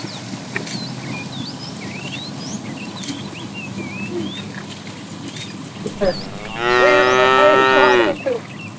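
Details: A cow in a herd wandering in search of food, being herded in the morning, gives a single rich, nasal, drawn-out moo of over a second over softly twittering small birds.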